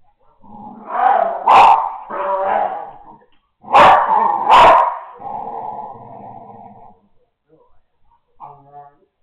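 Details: An American Staffordshire Terrier puppy growls in rough, rumbling bursts with sharp snorts between them, rolling around. It does this a couple of times a day in different parts of the house for no apparent reason.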